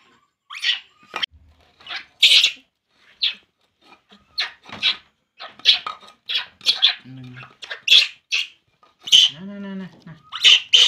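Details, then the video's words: Shrill cries from a baby monkey named Poo while it drinks milk, repeated high squeals at uneven intervals, rising into louder bursts toward the end, with a brief human murmur in the middle. "baby monkey Poo, Poo crying drinking milk"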